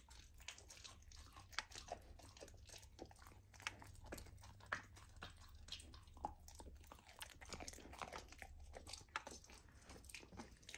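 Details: Raw lamb chewed by a golden retriever puppy fed a raw diet, its first taste of lamb: fast, crisp biting and crunching clicks over a faint low hum, with occasional sharper snaps.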